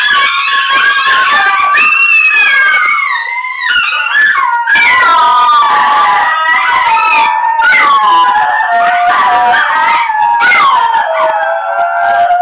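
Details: Three pet Basenjis howl together in warbling, yodelling chorus, long tones rising, breaking and falling, overlapping with a few higher yips; they usually start when a plane flies over or people howl at them.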